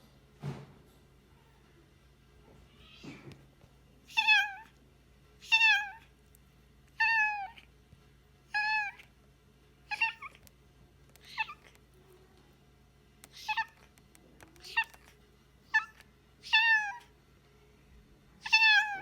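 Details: A rescued former stray cat indoors gives a steady series of about a dozen high, harmonic meows, each short and slightly arched, spaced roughly every one to two seconds, with a low steady hum beneath.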